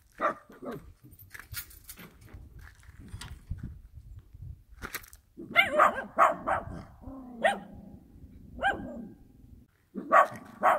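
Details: Dog barking in the countryside: a few faint yaps early on, then loud, sharp barks in quick bursts of three or four with short pauses, a lower drawn-out bark near the middle, and a final pair of barks, over quiet outdoor background.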